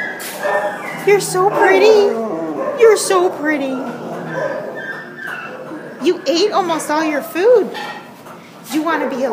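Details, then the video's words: A Border Collie Husky mix wails at the pound, December 27, 2014. Softer, wavering, whimpering cries rise and dip in short arcs, in two clusters with quieter gaps between. A steady low background hum continues throughout. "Border Collie Husky at the pound WAILING"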